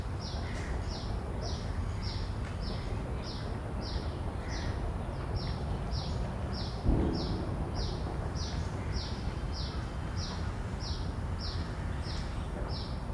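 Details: Field recording of a common cicada, taken simultaneously with two shotgun microphones on a Zoom F3: a regular series of brief high buzzy pulses, roughly one every 0.6 seconds, with a low rumbling ambient hum and one soft thud midway.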